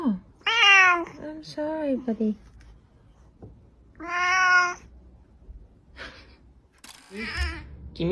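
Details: House cat calling with two clear, long meows that rise and fall, plus shorter chirpy notes, while a person speaks quietly between the calls.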